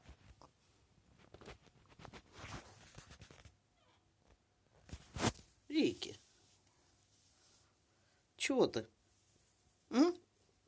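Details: Pet cat Ricky, indoors, meowing to have a door opened because it does not want to be left alone. A man speaks softly at first, then three loud drawn-out meows follow, each sliding downward, about two seconds apart.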